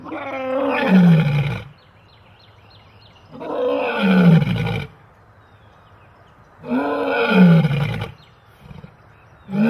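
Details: Big cat roaring in three long bouts about every three seconds, each a deep, groaning call that swells and then falls away, with quiet gaps between them.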